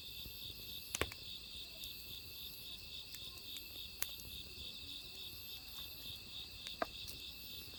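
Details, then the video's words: Autumn crickets sing next to a crackling wood fire, their continuous high trill joined by rapid higher chirp bursts, while sharp pops and snaps of burning logs break in now and then. "장작타는 소리와 어우러지는 귀뚜라미 울음소리"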